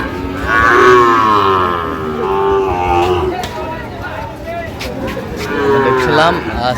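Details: Sahiwal bull calves at a market in Madaripur, Bangladesh: a loud moo sliding down in pitch, followed by further wavering moos and a final rising bellow, with clatter and voices behind.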